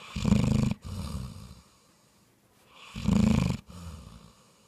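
A bloodhound snores in deep, rumbling bursts, each inhale followed by a softer exhale.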